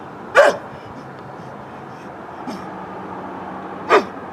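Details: An old neighbourhood dog, recorded on a Canon Vixia HF R800 camcorder, gives two short, hoarse barks about three and a half seconds apart, with a steady low hum and quiet background noise between them.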